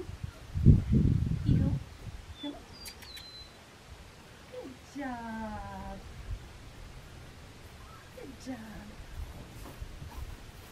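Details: Blue merle female Australian Shepherd puppy at Fifteen Acre Farms, Oklahoma, gives one drawn-out, harmonic whine that slides downward after a brief burst of human voice; faint low rumble and a few soft chirps in the background.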